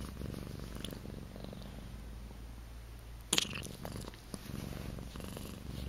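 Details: Akari, a pet cat in her first two months at home, purrs in a deep, steady rumble, interrupted briefly by a sharp knock partway through before the purring carries on.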